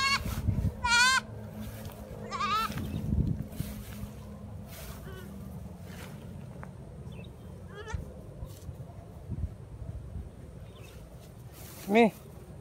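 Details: Hungry young goat greeting cut grass: a loud shaky bleat opens, followed by softer bleats scattered through the middle and a final strong rising-falling bleat, with faint background hum throughout.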